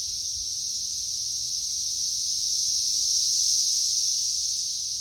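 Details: Many periodical cicadas crowding a tree in May 2024, the third week of their emergence. A dense, continuous high-pitched hiss swells slightly in the middle of the clip.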